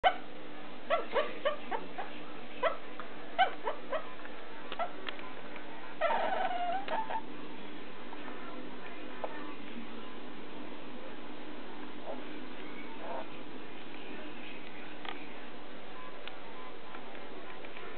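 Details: A pet dog barking softly while dreaming in its sleep: muffled short woofs and whimpers in the first few seconds, a drawn-out whine near six seconds, then mostly quiet with faint low rumble.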